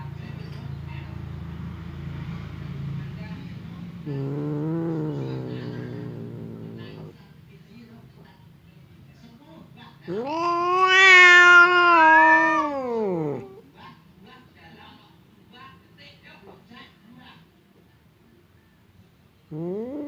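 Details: Confrontation between house cats Temon, the fierce one, and Lelo, the quiet one, kept apart by a partition: faint low murmuring and a soft wavering cry, then a loud rising-and-falling yowl lasting about three seconds, another starting at the end.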